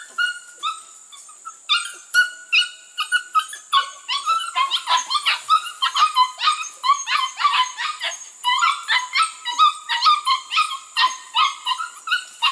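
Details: Two litters of registered Border Collie pups, 6 to 8 weeks old, bred from proven cattle lines, working goats for the first time; an almost unbroken stream of shrill, harmonic yips and barks, several pups calling over one another.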